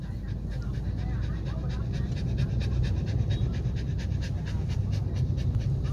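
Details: Lucky the Samoyed panting steadily and fast, a breathy rhythmic huffing that keeps going for seconds above a constant deep rumbling background.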